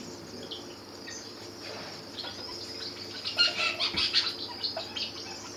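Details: A baby bat weighing under a gram, found on the ground and cared for at a wildlife rescue centre, gives short, high squeaky chirps in a quick irregular series while being fed milk.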